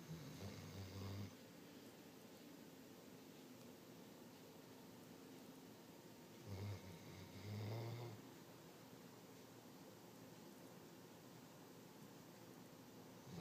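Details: Snoring from Shasta, a dog said to snore all the time: a low, rasping snore opens the stretch, then after a long quiet pause two more rumbling breaths follow close together, over a constant soft background hum.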